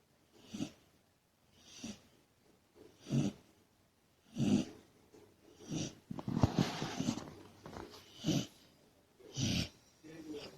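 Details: Labrador Retriever puppy, a female, snoring loudly while asleep indoors: rough wheezing, snorting breaths repeated about every one to one and a half seconds, with a noisier burst of snorts in the middle.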